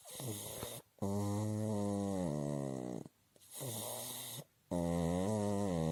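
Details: Sleeping pug snoring: loud, low, rasping harmonic snores, each about a second or more long, separated by short silent breaths.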